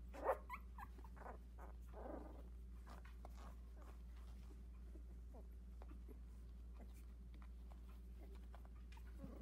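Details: Havanese puppies, four siblings aged 16 days inside a whelping box, give a sharp squeak at the start and a cluster of whimpers about two seconds in, then fainter scattered peeps above a low hum.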